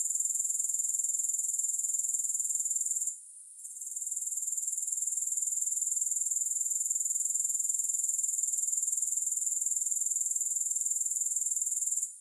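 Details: Continuous high-pitched insect trill attributed to grasshoppers, pulsing evenly about four times a second, dropping out for a moment around three seconds and again at the very end, with no music or other sounds.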